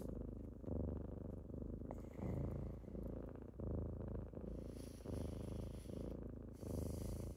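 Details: A typical morning with kittens waking someone up: continuous rumbling purrs rising and falling roughly forty times a minute, with soft rustling of movement in the later seconds.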